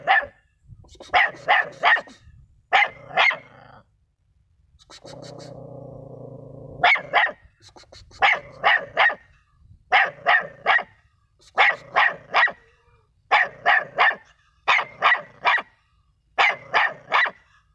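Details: Dog barking in rapid bursts of two to four sharp, loud barks, grouped about every one to two seconds, with a brief low droning hum in the middle.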